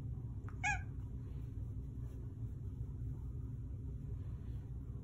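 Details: Male Manx cat meowing on command after the spoken cue "more?": a single very short, bright chirp-like meow, followed by the owner asking again over a low background hum.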